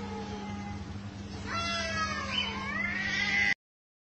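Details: Street cats in a fight on rooftops and in alleys. A low, steady moan gives way to a louder, quavering howl that climbs, dips and climbs again, with a continuous low hum throughout.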